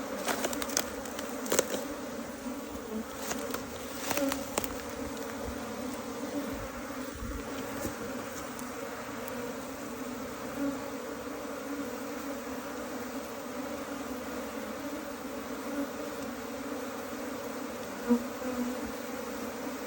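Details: Colony of Asian honey bees rescued from a canal: a continuous low swarm drone throughout, broken early on by several sharp clicks and handling knocks, with a few soft thumps later.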